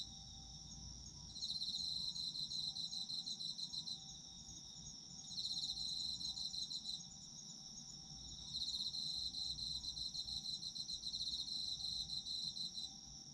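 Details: Autumn insects heard as sleep ambience: a steady high continuous trill alongside bursts of rapid pulsed chirping near the top of the range that start, pause and resume every few seconds, with faint low background rumble.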